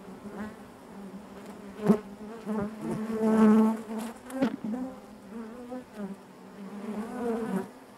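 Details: Honey bees drone inside the hive, a deep, even buzz with stacked harmonics that builds to a louder surge midway, then eases, with occasional short clicks.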